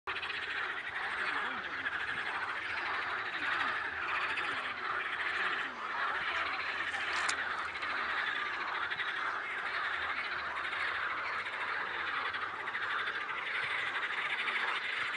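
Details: Toads singing by a river: a dense, continuous chorus of overlapping rattling trills fills the whole recording, steady throughout, with one brief sharp high squeak near the middle.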